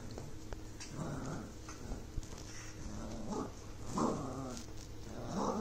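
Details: A Miniature Schnauzer puppy, the morning after arriving in its new home, gives short, grumbling growls mixed with soft whines.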